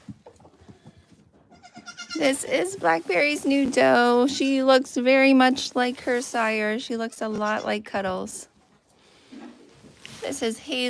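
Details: Goats on a farm bleating together, a dense run of wavering, nasal bleats overlapping for about six seconds before tapering into quieter, scattered calls.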